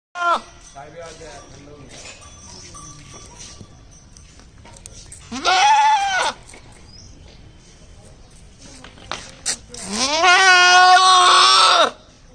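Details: Male goat calling its owner: two loud, quavering bleats, one short and one longer and drawn out, with quieter talking and background noise between them.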